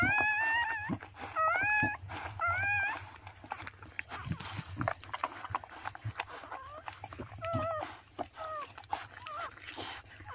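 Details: A black Chow Chow giving birth gives high, wavering whines in short bursts, with a steady high hiss behind.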